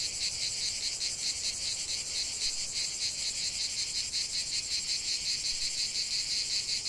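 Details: Cicadas in a lavender field produce an unbroken, intense high-pitched rasp with fast rhythmic throbbing, a steady wall of insect sound and nothing else audible.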